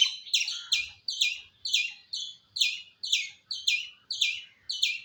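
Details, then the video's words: Squirrel calling in an unprocessed recording: shrill, clipped double chirps repeated roughly twice a second, each dropping slightly in pitch, against near silence. "Squirrel Making Sound"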